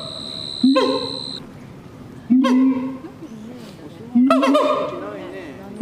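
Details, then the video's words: Three loud, rising siamang honks heard at night, spaced about two seconds apart, with a steady high-pitched whine at the start and a quiet background hum between calls. "suara siamang di malam hari/the sound of gibbons at night"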